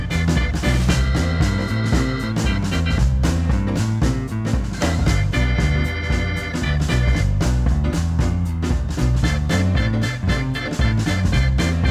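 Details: Loud upbeat swing-style game show music with a driving bass and guitar plays throughout, with no animal sound.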